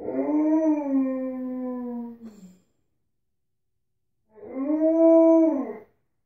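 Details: Alaskan Malamute indoors after barging into a bathroom, two drawn-out howls separated by a pause; the first long and gently falling, the second shorter and arched, rising then dropping.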